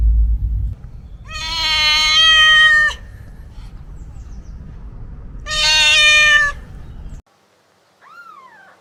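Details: Two loud drawn-out cat meows, each about one and a half seconds and strongly harmonic, separated by a low rumbling background noise, followed by a faint short rising mew at the end.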